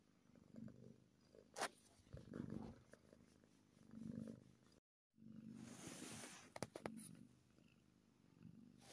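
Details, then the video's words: Kitten purring happily, a low rumble in breathing-paced waves, interrupted by sharp clicks, brushing and handling noise, with a short silent gap before the purr resumes. "Happy Kitten Purring"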